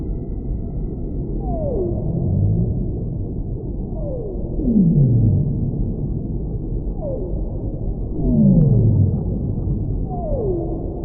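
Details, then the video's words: Whale song: a series of sliding, descending moans, some higher and some deeper, repeating roughly every two to three seconds over a steady low rushing background noise. "Whale Sounds"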